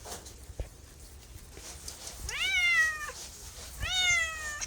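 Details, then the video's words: A domestic cat gives two clear meows in the second half, each rising quickly, then holding a drawn-out, slightly falling tone for under a second, after a quiet start. "MEOWING MEOWING - CAT CUTES - CAT FUNNY - SOUND CAT - MEOW CAT 01"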